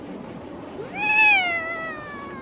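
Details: Single long meow from a black-and-white stray cat with a mustache-like patch, given while it is brushed: a smooth upward sweep that levels off and sinks gently, lasting over a second in near silence.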